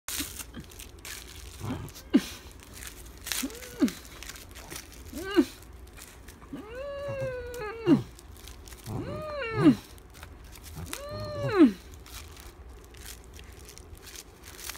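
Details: Pet dachshund named Eoreumi, stretching with raised hindquarters and neck in a playful 'pilates' pose indoors, gives about six drawn-out, arching squealy whines with rich overtones, spaced irregularly, between short soft grunts and rustling.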